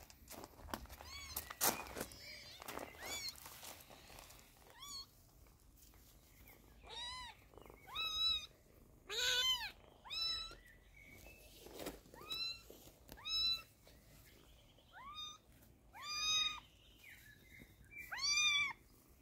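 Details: A kitten cries while eye drops are put in its eyes, producing a steady series of short, high, bent meows every second or so, after some early rustling.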